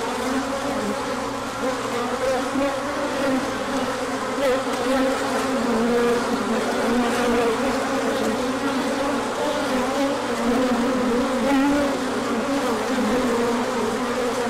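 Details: Bees pouring out for a large orientation flight on 24 March 2024 once the sun came out after a cold spell: a steady, crowded humming drone with a slight wavering quality and no other clear sounds.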